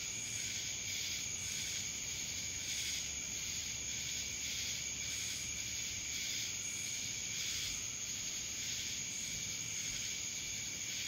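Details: Cicadas in Dallas, Georgia: a dense, steady high-pitched buzzing drone with a sustained shrill tone on top and broad hissing swells that pulse roughly every second, no other clear sounds.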